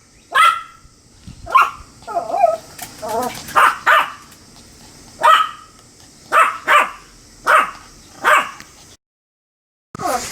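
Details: Pomeranian dog recorded on 25 July 2015, giving short sharp barks in uneven bursts, about nine loud yaps with quicker yipping notes in the middle, then a brief silence before one last bark.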